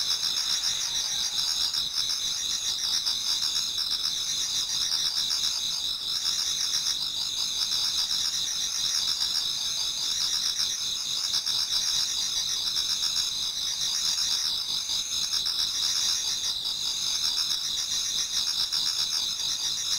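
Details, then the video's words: Numerous insects sing in a Japanese garden on an autumn night turning to dawn. Continuous piercing trills pulse rapidly at two high pitches and hold an even loudness throughout. "Autumn Insects voice Towards dawn"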